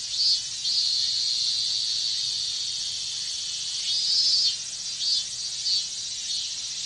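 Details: Minmin cicadas calling together in the heat of a Japanese summer, a high continuous whine with brief louder surges and quick pulsing accents scattered through it.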